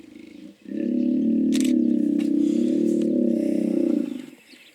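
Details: One steady, low, throbbing hippo bellow lasting around three and a half seconds, rough and rapidly pulsed, with a few faint bird notes and clicks behind it.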